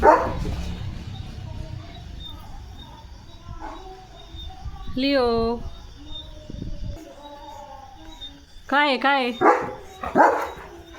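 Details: German Shepherd named Leo playing in monsoon rain, drenched and barking hard: two long harmonic yowling calls, then a quick run of sharp barks near the end, with a human voice and steady background hum throughout.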